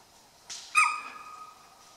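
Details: Chital deer in grassland near Kaladhungi, Uttarakhand, India, close to the old Powlagarth road, at dusk, reacting to unseen danger. A single sharp, high, harmonic shriek with a breathy burst just before it, fading over about a second.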